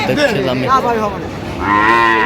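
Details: Cattle at the Aftabganj market in Dinajpur on 8 November, cows with calves for sale: a wavering lowing call followed by a higher sustained moo, with market chatter behind it.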